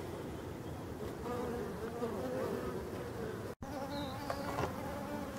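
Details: Honey bee drones fly before a queenless, drone-laying hive on 5 February 2022, a steady low hum heavier than workers' buzz, with a European robin's high thin notes near the end.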